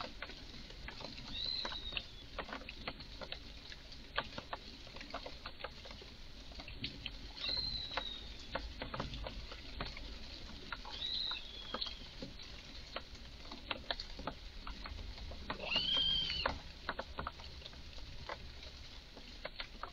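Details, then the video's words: Red squirrel in a garden, apparently very excited, giving strange calls: four thin, high, arched squeals spaced several seconds apart, set against constant faint clicking and tapping noises. "Eichhörnchen macht seltsame Laute"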